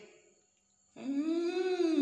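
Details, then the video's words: Adopted stray kitten, taken in from the street at night and described as lively, gives one loud, drawn-out meow lasting about a second, rising slightly then holding steady, after a near-silent pause in a small room. "Meong Lembur || Anak Kucing Lucu"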